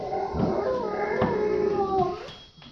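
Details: Bo, a Golden Retriever asking to go potty, gives a 'talking' whine indoors, a wavering harmonic tone that rises and dips in a few connected bends, with a person calling to him nearby.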